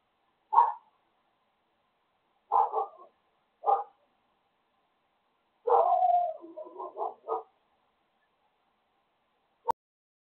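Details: Dog barking in a quiet setting: single sharp barks spaced about a second apart, then a quick run of several mid-pitched barks and yelps, followed after a pause by one last short bark.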